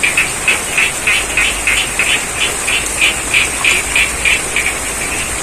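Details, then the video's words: Regular bursts of frog croaks, around three each second, from the middle of a rice paddy in Pacitan, East Java, while rain falls with a continuous hiss and a thin high-pitched drone. "Suara Kodok & Air Hujan - ASMR Sound of Frogs & The Rains"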